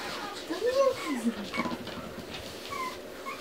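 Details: A single arched whimper from a Pomeranian puppy near the start, followed by soft rustling and faint squeaks in a small indoor room.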